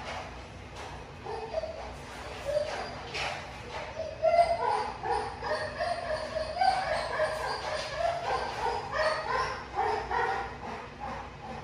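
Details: XL pit bull at a kennel, kept with other dogs, giving a run of high, uneven whines and short yips that rise and fall over about eleven seconds, with people talking close by.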